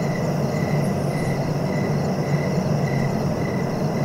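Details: Cricket chirping in short, even pulses about every half second, set against a loud, steady low rumble of background noise.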